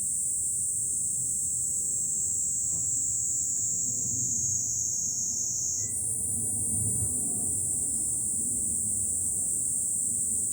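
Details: Cicadas singing in July from a hilltop overlooking Fukuoka city, Japan: a continuous, shrill high buzz that holds steady and then steps slightly higher about midway, over a low rumble of wind or distant city.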